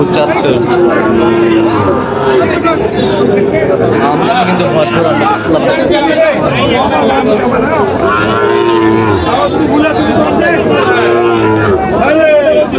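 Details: Cattle market in Noakhali, 6 July 2025, where Sahiwal bull calves are sold; repeated mid-pitched moos, some bending upward, sound every few seconds over dense human conversation and crowd noise.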